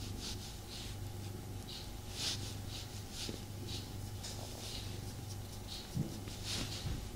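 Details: Tommy the cat purrs contentedly while being snuggled; a low, even rumble rises and falls with regular airy breath sounds, plus faint rubbing and a light tap near six seconds.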